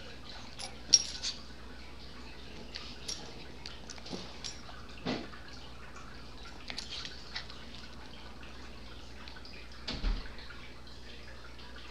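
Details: Quiet indoor room tone with scattered small taps, clicks and drip-like knocks, and no animal voice heard.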